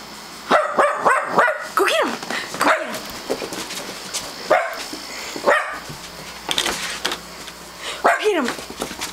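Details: Pet dog barking at a doorbell sound played on a computer: short sharp barks in scattered bursts, several close together early on, with a person's voice repeatedly asking who is at the door.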